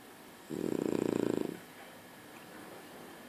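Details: A single vibrating snore from a sleeping French Bulldog, a rough, fluttering low drone of about one second, followed by quiet breathing in an indoor room.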